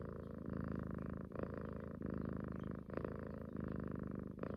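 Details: Female pet cat purring while cuddling close, sometimes suckling at a neck as if nursing; continuous low rumbling purr pulsing in breath cycles about every three quarters of a second.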